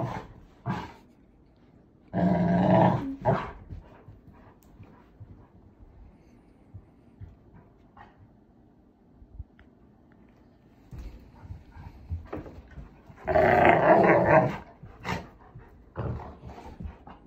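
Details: Two Labrador Retrievers playing noisily together indoors, with low rumbling growls in several bursts, two loud rough growl-bark outbursts around the third and fourteenth seconds, quieter snorts and scuffling between, and a man speaking briefly.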